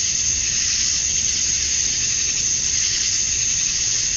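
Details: At dusk on a summer night in Georgia, USA, male cicadas chirp to draw in females, making a thick, steady, high-pitched buzz that barely varies over a few seconds.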